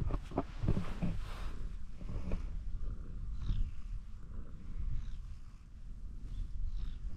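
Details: Orange tabby cat, climbed onto a fence and asking to be petted more. A steady low rumbling purr runs through the recording, with soft handling and rustling noises near the start.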